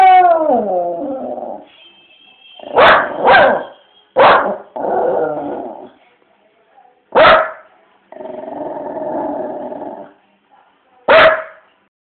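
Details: Dog perched on a window barking oddly at loud music playing outside in the street: a descending howl, then several short sharp barks spaced a few seconds apart, with a steady humming tone and brief murmurs between them.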